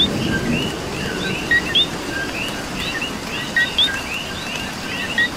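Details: Coqui frogs calling in the rain in Puerto Rico: the nearest one gives clear two-note co-qui calls, a short low note then a sharp upward whistle, repeated several times over a dense chorus of other frogs and steady rain hiss.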